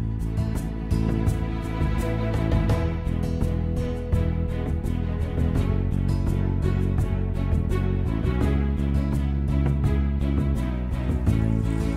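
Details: Gentle instrumental background music plays throughout, steady and full, with no animal sounds audible.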